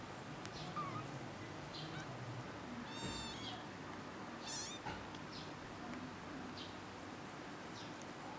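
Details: Kitten producing two brief high mews a second and a half apart in the middle, between faint rustling and low background noise.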